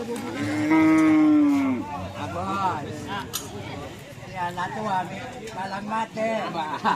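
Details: Madura race bull (sapi kerap) from Langsar, Saronggi, Sumenep, giving one strong, sustained low moo that drops in pitch at the end, followed by wavering fainter tonal sounds and background music.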